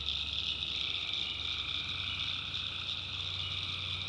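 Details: A swamp at night in the North Carolina backwoods, with tree frogs forming an unbroken high, buzzy chorus. Fainter lower trills run steadily beneath it, and a soft low-frequency hum continues in the background.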